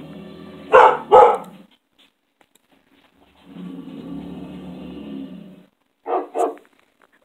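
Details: Dog barking in reaction to loud noises: two sharp barks in quick succession, a stretch of low rumbling noise, then another pair of short barks near the end.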